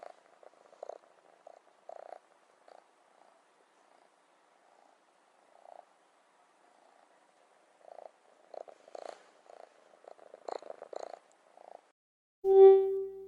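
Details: Rescued kitten, day 96 after rescue, waiting in front of the fridge for wet food to come out: a string of soft, low, murmuring pulses comes in short bursts, then one loud, short tonal meow at the end, in a quiet indoor room.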